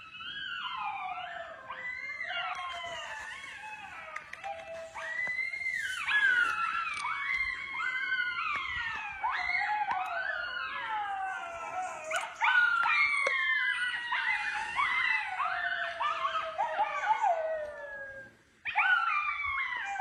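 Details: Gray wolf (Canis lupus), chorus howl.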